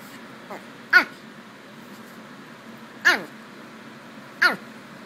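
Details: Kirby, a Pomeranian, makes a crocodile-like sound: three short, throaty, harmonic grunting bursts at irregular intervals of about two seconds, with quiet indoor room noise between them.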